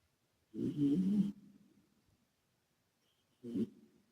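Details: Two deep, rattling snores about three seconds apart from Calmo, a sleeping male British Shorthair adopted from a rescue: the first long and rough, the second shorter, each trailing away in artificial echo.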